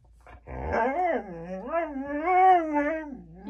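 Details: Female Siberian Husky indoors, vocalizing back at a smart speaker as if arguing; long wavering, yodel-like howls that rise and fall in pitch in several swoops, with a person speaking and music around it.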